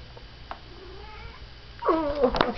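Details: A domestic cat, a female, gives a loud, piercing, drawn-out meow that rises then falls, demanding her dinner as she does every evening around 6:30–7:30.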